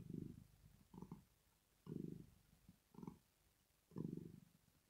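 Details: Rosetta, a female pet cat, purring while asleep, a sign of pleasure or relaxation: low rumbling bursts in breath-paced pulses, one swelling roughly every second, with quiet gaps between.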